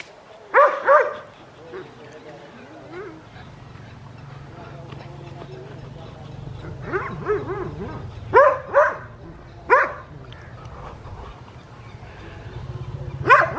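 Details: Winter morning in Hoat Wala village, South Punjab, Pakistan, where Adriano the West Highland White Terrier gives sharp, high barks in pairs and singles, scattered across the clip, with human speech and a low hum in between.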